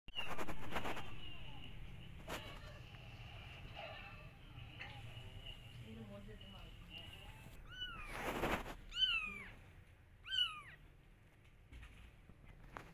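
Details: Domestic cat meowing as a mother trying to get her kittens to follow her while the kittens ignore her: a few short, bright, falling meows come late, after rustling, handling noise and faint voices.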